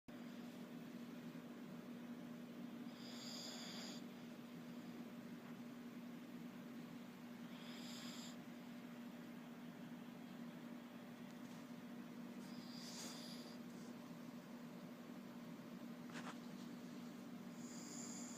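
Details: Shih Tzu dog snoring: a whistling, tonal wheeze with stacked high overtones, returning about every five seconds, over a steady low electrical hum.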